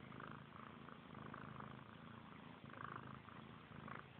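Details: Sibling kittens Frank and Callie purr as they groom each other, a constant throaty vibration with intermittent licking and nuzzling noises breaking through in short clusters.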